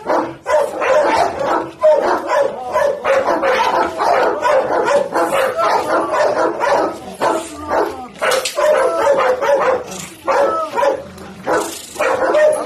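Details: A white Pit Bull, described as very fierce, barks almost nonstop in quick runs of deep, gruff barks, several a second. A few higher yelping notes break through between the heavier barks.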